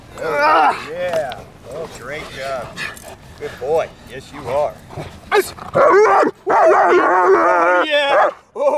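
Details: German Shepherd at Kraftwerk K9 working under full control in high-performance training; deep, harsh barks repeat roughly once a second for five seconds, then a man's loud voice takes over with praise and commands.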